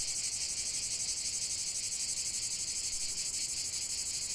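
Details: Cicadas sing in a sustained shrill buzzing drone, pulsing rapidly and evenly, high-pitched and constant without pauses or other noticeable sounds.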